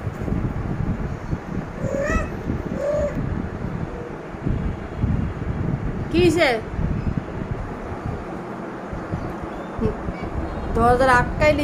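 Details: Stuck outside a closed door, a cat trying to enter the room gives several soft and louder meows at irregular intervals, with a person speaking in the background.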